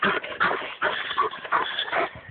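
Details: Dog that has spent hours chasing a squirrel up a tree, producing rapid, overlapping whimpers and yelps in bursts, recorded on a phone.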